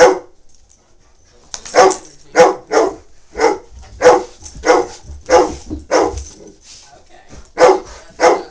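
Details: Meeting Tigger, 21-month-old Great Dane puppy Lloyd, available for adoption, barks repeatedly after a quiet start, about eleven sharp barks spaced roughly half a second apart, pausing briefly near the end.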